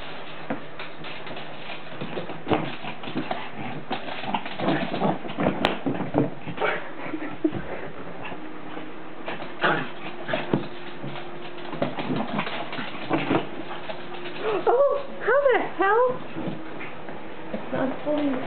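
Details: A Pomeranian chasing a balloon gives several high, arching whimpers late on, each rising then falling, among rustling, thumps and people talking throughout.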